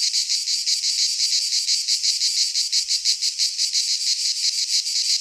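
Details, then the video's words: A loud chorus of cicadas singing in a Greek pine forest in midsummer: sizzling high-pitched buzz beating in regular pulses roughly three per second, steady and uninterrupted. "Cicadas singing in midsummer"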